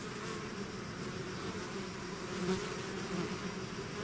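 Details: A swarm of bees out of the hive, heard as an unbroken low buzzing drone that swells slightly midway through.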